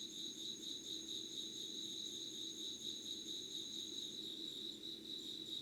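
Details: Yugawara, Kanagawa insects before dawn, 25 August 2019, 5 a.m.: a shrill pulsing trill beating about twice a second alongside a steady higher whine that fades near the end, faint low hum behind.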